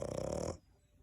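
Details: A sleeping French Bulldog snoring: one short, low, rattling pulsed snore lasting about half a second, then near quiet.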